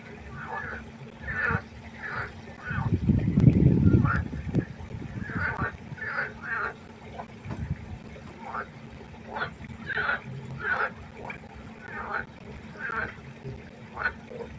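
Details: Frog chorus at night by a pond: short harmonic croaks repeated in uneven bursts, several callers overlapping, with a loud low thump partway through and a steady low hum beneath.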